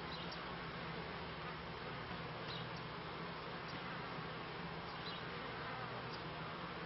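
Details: Honey bees kept by a beekeeper, recorded around the end of the 1995 season and start of 1996: a steady, low droning hum with bands of buzzing and a dense, even hiss above, unbroken for the whole stretch.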